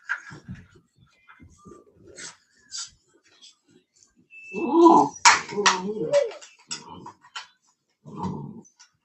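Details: Cane Corso (Italian Mastiff) at a Tennessee breeder's home, letting out a short burst of rough, low growling mixed with whines midway, around soft speech and handling noises indoors.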